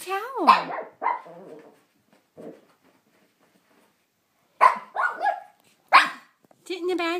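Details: A pet Shih Tzu named Rusty, angry at his bath towel during bath time, gives short harsh growling barks in bursts separated by pauses, with a person's voice teasing him nearby.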